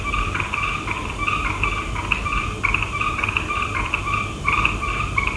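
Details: Frogs calling at night, a dense chorus of short repeated nasal notes with two bright bands, overlapping callers pulsing several times a second over a steady low rumble.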